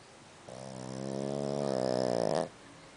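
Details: A Boston Terrier snores loudly enough to keep its owner awake, with a long, rasping, low-pitched drone that swells louder before stopping.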